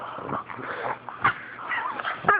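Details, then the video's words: Fawn pug being teased by a black pug, making funny Wookie-like noises: a continuous warbling, growly grumble with wavering pitch, rising and falling whines and sharp yelps at the end, recorded indoors on a phone. "Pug makes Wookie sounds!"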